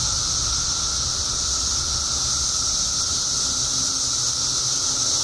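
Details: A dense chorus of 17-year periodical cicadas emerging after years underground in Illinois, a steady unbroken drone with a sharp high hiss above it.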